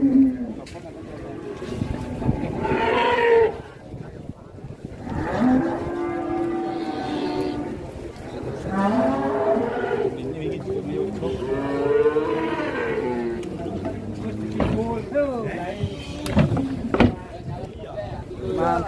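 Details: Agitated cattle on an Indonesian farm giving a series of loud moos, some rising into strained, bellowing calls with wavering pitch, spaced several seconds apart amid background noise and occasional knocks.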